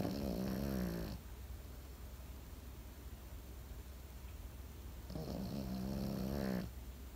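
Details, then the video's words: A Pekingese sleeping and snoring: two rough, droning snores with a steady low pitch, one at the start and a longer one about five seconds later, separated by quiet, hushed breathing. "心地よい犬の寝息BGM ペキニーズ。 Comfortable Dog's sleeping sound pekingese."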